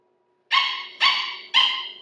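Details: A sugar glider gives three sharp, dog-like yaps, evenly spaced about half a second apart; this distinctive call is often heard at night in forests of southeast Queensland.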